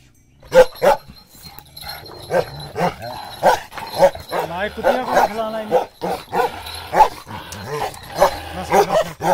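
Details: Bakarwal dog barking in a loud, rapid series of deep, harsh barks, several per second with brief pauses, while human voices talk throughout close by.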